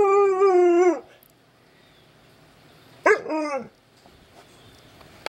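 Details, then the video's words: Nine-month-old Alaskan Malamute giving a steady tonal howl that falls at the end, then after a pause a shorter rising-and-falling howl, while a person speaks softly to the dog. "Windy woo-woo the malamute"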